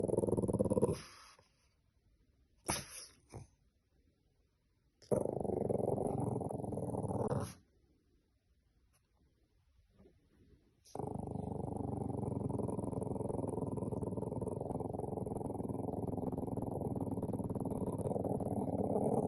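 A Boston Terrier puppy makes odd low growling, grumbling noises in bursts, with long stretches of rough sound.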